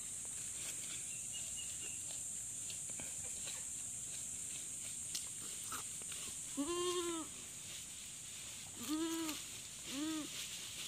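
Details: Goat on a farm during a first assisted birthing: three short, wavering, nasal bleats arrive in the second half, each an arched tone, over a steady high hiss that runs throughout.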